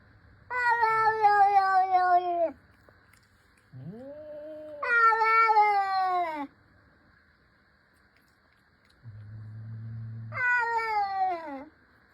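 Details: Mother cat talking: three long, loud, drawn-out meows, each sliding downward at the end, with quieter low murmuring sounds in the gaps between them.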